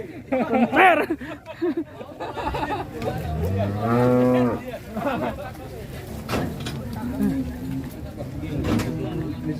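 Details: A cow rampaging while ploughing, hard enough to break its iron gear, lets out one long, low, droning moo with a rich harmonic stack in mid-clip, amid people talking and general background noise.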